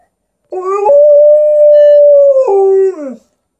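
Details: An Alaskan Malamute howls in conversation with its owner: a steady, clear tone that holds level for about one and a half seconds, then breaks down to a lower, wavering note before fading, with no other sounds.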